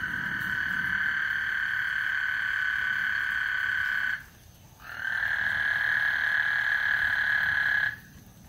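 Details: Frogs calling before a thunderstorm on Lake Houston: a dense, steady trilling chorus with a strong band of sound, running unbroken for about four seconds, pausing briefly, then resuming for three more seconds before dropping away.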